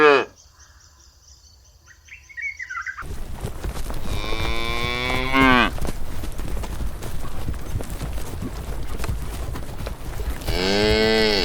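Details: Grazing cows in the countryside: after a quiet start with faint bird chirps, two drawn-out harmonic moos sound, one near 4 to 5.5 seconds and another at the end, over steady low rumbling wind noise.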